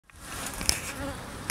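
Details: Honey bees at a hive feeder, buzzing as a steady broadband hum with a few sharp clicks and taps.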